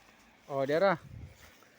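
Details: Kept goats being given water during hot weather bleat once: a single wavering, quavering cry lasting about half a second, followed by a quiet low rustle outdoors.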